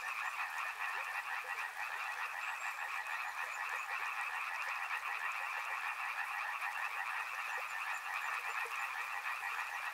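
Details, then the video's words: Loud, steady frog chorus at a river, overlapping rapid croaks forming a constant buzzing, trilled wall of sound with background water noise. "Frog Sounds | Soothing sounds of river and frogs"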